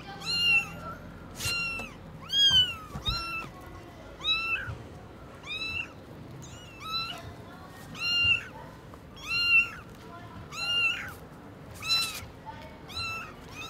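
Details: Tiny kittens with freshly opened eyes meet their mother cat at Lucky Paws, giving a steady run of shrill, bent meows roughly one per second, fairly even in loudness, with faint clicks and a soft hum beneath.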